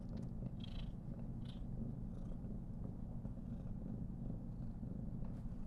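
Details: A steady, low, buzzing purr from a pet female Somali cat enjoying a long petting session, the rumble unbroken across the whole stretch, with faint rustling of fur and hands.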